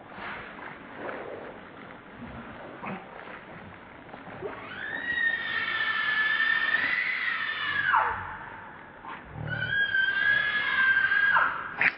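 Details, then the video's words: Baby monkey Lucie, very hungry and trying many times to get milk, gives two long, wavering, high-pitched cries with rich overtones. The first lasts about three seconds and slides down at its end; the second is shorter. Low background rustling is heard. "Lucie Very Hungry Trying Many Times To Get Milk I Lovely Baby Monkey"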